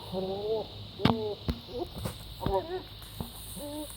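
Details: A goat making bizarre noises: a run of short, nasal, wavering cries, some rising then falling, given in bursts with brief gaps, with sharp knocks and clicks in between.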